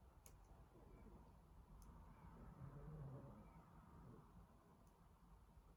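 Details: An exhausted male Boston Terrier snores softly after destroying his teddy, a low, rumbling breath that swells and fades.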